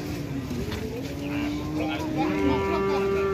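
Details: Lowing cattle at a busy cattle sale where a late-arriving rare jumbo cow is haggled over: two long, level moos, the second pitched higher and held to the end, amid talk and music.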